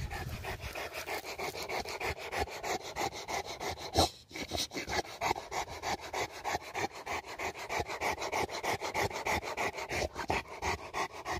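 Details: Rembo, a Rottweiler in Uttarakhand, India, having just hurt a goat, pants hard and fast: rough, breathy rasps repeating roughly three times a second with a brief pause midway.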